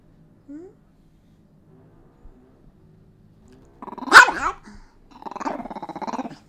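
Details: Chihuahua letting out one sharp, loud bark after near silence with a few faint clicks, followed by a short rattling, pulsing growl.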